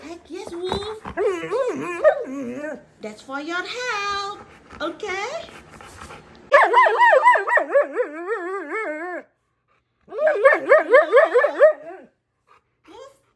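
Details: A domestic husky malamute talking back to its owner indoors: a woman's voice at the start, then long wavering, warbling howl-like yowls that rise and fall rapidly in pitch, broken by a brief pause.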